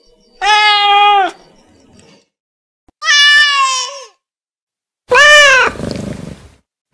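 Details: Domestic cat meowing to communicate with its owner: three drawn-out, harmonic meows about two seconds apart, the first two steady and level, the last rising then falling and trailing off into a softer breathy sound.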